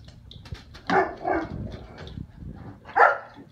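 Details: Foster puppy named Ana playing a chasing game with the cat, giving a couple of short yappy barks with a whimpering sound between them, over soft scuffling and thumping in a room.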